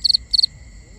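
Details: Two quick high cricket chirps at night, each a tight cluster of three pulses, with a steady faint insect whine behind.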